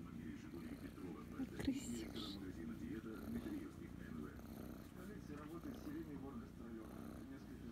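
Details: Kitten Kryska, a young female who loves being petted and scratched behind the ear, purrs loudly in a continuous low rumble with breathy pulses, while a woman murmurs endearments in Russian.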